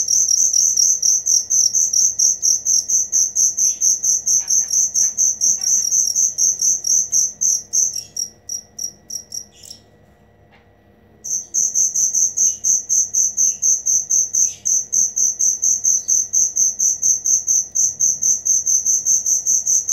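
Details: Cricket chirping in fast regular high-pitched pulses that fade and stop for a few seconds midway, then resume just as loudly and steadily.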